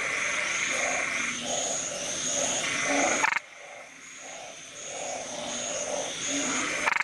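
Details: Close-range Nikon recording of a small, loud narrow-mouthed frog that inflates its body. Rapid low croaks pulse roughly four times a second, with a constant shrill buzz above. A brief break and a quieter stretch come midway.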